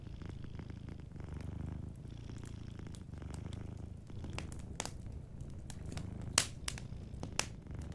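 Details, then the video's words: Soft, continuous low purring from a sleeping cat, rising and falling with each breath, while a fireplace crackles with occasional sharper snaps near the end. "Warm Fireplace Ambience with a Sleeping Cat 🐱💤Fireplace & Soft Purring"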